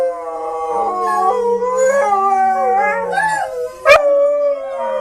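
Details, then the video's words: Dog howling while the owner remarks it really wants to go for a walk; long wavering tones rise and fall, with a second lower, steadier voice underneath and a sharp click near the end. "PERROS QUE LADRAN SONIDO DE PERROS - SOUND OF DOGS - SON DE CHIENS"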